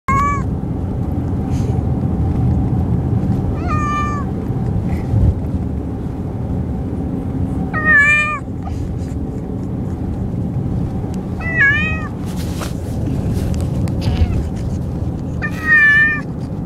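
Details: Carsick male cat meowing during a car ride, giving five drawn-out, wavering meows roughly every four seconds over a steady low rumble of road and engine noise.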